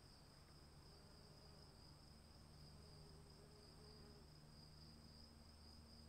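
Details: Crickets calling in the rain: a steady, unbroken high-pitched trill with a fainter, higher tone above it, over a constant low rumble and a soft wash of rain noise.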